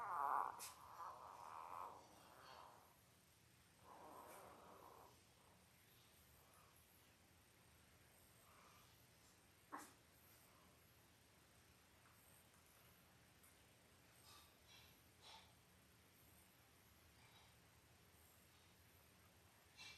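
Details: Five-day-old Labrador Retriever puppies, a litter of eight born October 15, 2023 to their mother Belle, on an indoor puppy cam; a few soft, mid-pitched whimpering squeaks early on, then quiet with a single faint click.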